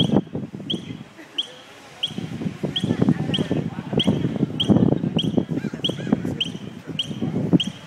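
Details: A squirrel at UABC Tijuana, Mexico, apparently unhurt, gives sharp, high chirps about two each second for a long while as people talk nearby; the observer suspects it is calling its babies.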